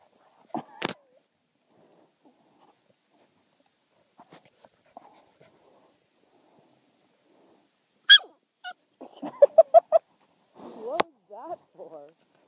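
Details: Young summer puppies of a kennel, a litter with their mother, making a burst of short high squeaky whimpers and yips in the later seconds after mostly quiet moments with a few clicks.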